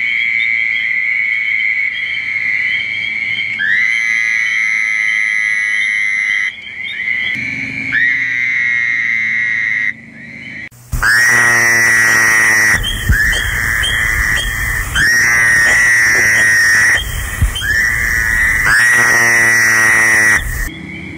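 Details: Spring peepers in early spring woods beside a small lake, where Fowler's toads also call, give high, clear peeps that blur into a steady, shrill ringing chorus, partly covered by music, with louder, rougher tones cutting in during the second half.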